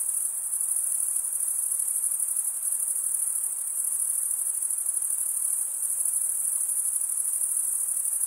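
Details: A chorus of male crickets chirping by wing stridulation forms a continuous, even, very high ringing buzz with fine rapid pulsing. Nothing else is audible.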